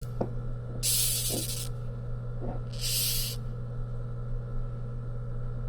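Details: Rhinoceros beetle (Xylotrupes pubescens) making noise when angry: two harsh, broadband hissing bursts, each lasting under a second and about two seconds apart, with a steady low electrical hum and a few faint clicks underneath.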